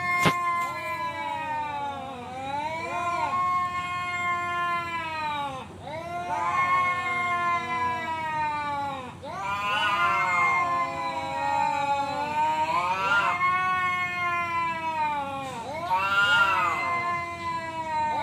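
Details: Male cat challenging another to fight, drawn-out wavering yowls with rich harmonics, rising and falling, swelling into louder wails about every three seconds; steady background hum throughout.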